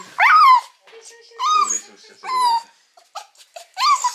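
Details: Female Mame Shiba puppy about eight months old, crying loudly when picked up after her spay surgery in January 2022; four separate whining, talking-like cries, each sliding up then down, with short quiet gaps between them.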